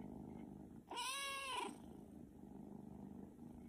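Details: Pet cat producing a single drawn-out meow of under a second, bending up and then down, over a continuous low murmuring background.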